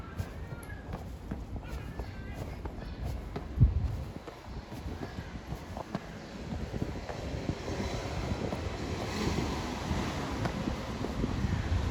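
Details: Low rumbling wind and distant traffic noise with a few faint knocks, and no animal calls.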